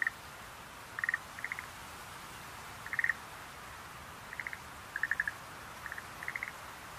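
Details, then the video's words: Quiet, well-spaced calls of Schlegel's green tree frog: brief trains of three to five dry clicking pulses every second or so over soft background hiss. "Sounds of nature scenery-Rhacophorus schlegelii"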